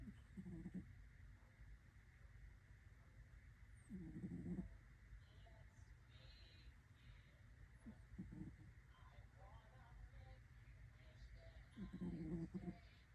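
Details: Sleeping orange kitten snoring, a soft low rumble with brief louder breaths at about 0.5, 4, 8 and 12 seconds, over a steady low background hum.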